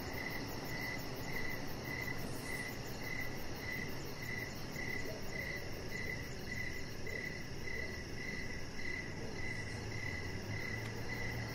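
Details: Evening cricket chorus beside a deck: regular short mid-pitched chirps roughly every half second, a continuous high pulsed trill above, and a dull low background hum throughout.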